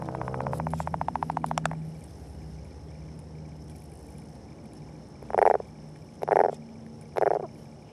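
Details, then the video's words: Northern leopard frog at its egg mass in courtship: a rapid pulsed rattle fading out after under two seconds, then three short low chuckling croaks about one second apart. "Leopard Frog Eggs and Courtship"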